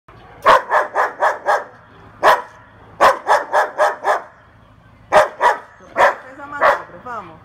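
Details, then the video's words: A young female German Shepherd barks in quick bursts of four or five sharp, deep woofs. "Cachorra Pastor Alemão Igual o Hulk Latindo"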